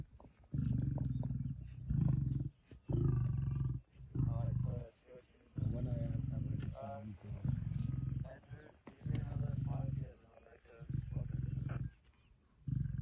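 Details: Male lion and pride members at a buffalo kill on 26 September 2023 give about eight deep guttural snarls in quick succession, each under two seconds, broken by brief gaps and some murmured speech.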